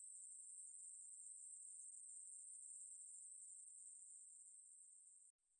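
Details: A Ruspolia katydid sings a continuous, shrill, high buzz at a constant pitch. It fades slightly, then breaks off abruptly near the end and resumes more quietly. No other sounds are present.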